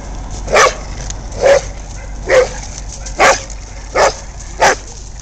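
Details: Dog barking while a poodle torments an American Bulldog in play; six short, sharp barks come about every 0.8 seconds, each a brief burst over a steady low background hum.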